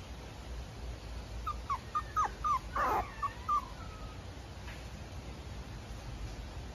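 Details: Mame Shiba puppy, a calm female, giving a run of short high whimpering yips around two to four seconds in, about seven quick notes with one louder squeal in the middle, over a faint steady background hiss.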